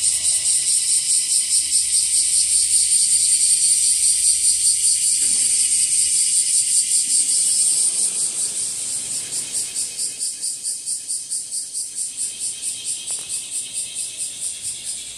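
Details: Bear cicada, or washi-washi, singing where the insects are spreading through trees and grass. An intense high buzz holds steady at first, then after about eight seconds breaks into distinct slower pulses that weaken gradually toward the end.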